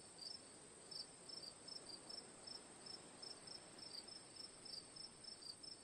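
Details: Chirping cricket, sharp high notes repeating about three per second, some doubled, against a steady high-pitched insect chorus and gentle background hiss.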